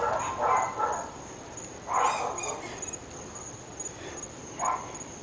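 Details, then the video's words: Barking from one of three neighbourhood dogs in North Bay Village, reported as barking morning, noon and night: short, sharp barks in irregular bursts over five seconds, against a steady high-pitched background hum. "Annoying Dogs"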